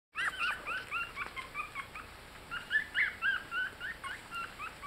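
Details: Yorkshire Terrier puppies, 18 days old and just learning to walk, toddling, eating and cuddling; a rapid run of high, thin squeaks and whimpers, some rising and some falling, about four a second with brief pauses.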